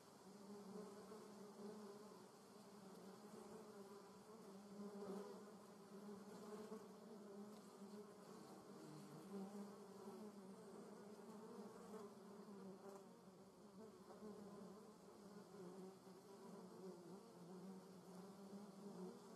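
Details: German yellowjackets in flight, recorded with a Sony RX10 III: a long unbroken buzzing drone, low-pitched with a brighter overtone, pulsing a little in strength as wasps come and go.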